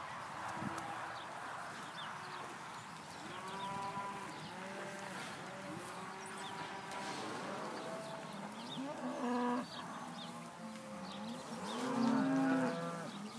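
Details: A pen of 74 young open Hereford heifers at a sale on 5/3/14 moo over and over. Many overlapping harmonic lows sound, some falling and some rising, with a louder, longer moo near the end.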